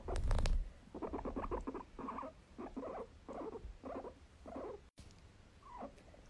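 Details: Pet guinea pig in its sixth year, growling as it has since it was bought, a sound its owner likens to a tractor or moped starting: a series of short rumbling pulses, about seven in five seconds, after a loud handling noise.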